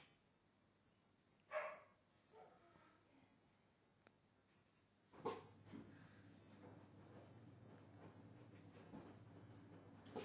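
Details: Belgian Tervuren dog during gun training: two short, sharp barks about four seconds apart, the second followed by a longer stretch of broad, rumbling background noise.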